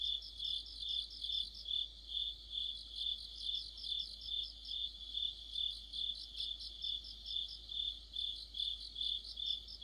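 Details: Several insects, crickets among them, form an autumn night chorus: an unbroken shrill whine plus quick stuttering chirp trains repeating steadily around two to three times per second.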